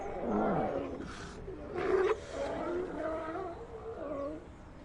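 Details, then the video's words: A colony of sea lions heard as low, drawn-out moaning calls that rise and fall, overlapping one another, with a brief rasping burst near the middle and a steady background hiss. "Colony of Sea Lions Sound Effect"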